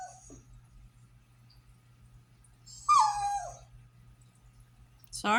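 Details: A French Bulldog kept indoors gives a brief, wavering howl that slides downward, protesting at not being allowed outside with the kids after repeatedly slipping through the fence to chase the neighbour's horses.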